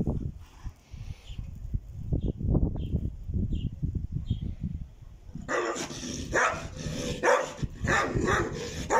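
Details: Dog at a kennel that breeds Caucasian shepherd dogs, Alabai and Tibetan mastiffs, giving deep, booming barks roughly once a second at an uneven pace, with louder broadband noise and clatter joining in the last seconds.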